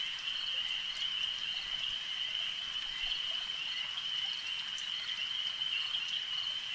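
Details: Lakeside frog chorus: many frogs blend into an unbroken, shrill trilling drone that holds an even pitch and loudness, with light ambient hiss beneath.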